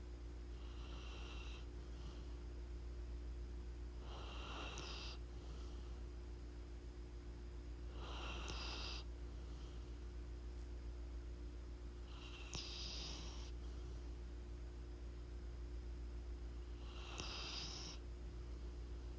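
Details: Pit bull snoring in its sleep, soft hissing breaths recurring about every four seconds in a slow even rhythm, quiet against a constant low electrical hum.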